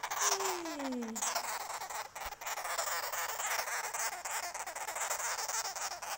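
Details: Angry baby sugar glider letting out a steady, harsh buzzing hiss that runs for about six seconds, opened by a short falling human vocal glide.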